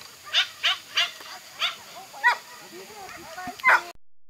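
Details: Toy Poodle during an agility run, possibly the dog named Ponde. Six or seven spaced, high yapping barks rise over a low hum of background activity, then the sound cuts off abruptly.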